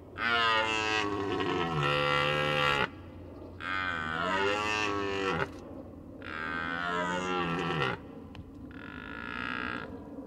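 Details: Red deer in the rutting season, giving four long, loud, harmonic roars of about two seconds each with short pauses between, the final roar shorter and quieter.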